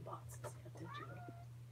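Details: Kitten at Alley to Attic in Alabama, recorded indoors in May 2018, gives a short high meow sliding downward, heard between a woman's talk about scooping litter boxes, over a steady low electrical hum.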